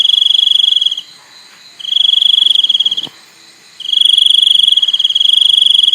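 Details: Cricket producing high, pulsing trill bursts of about one to two seconds, with nearly a second of quiet between them and a soft click midway.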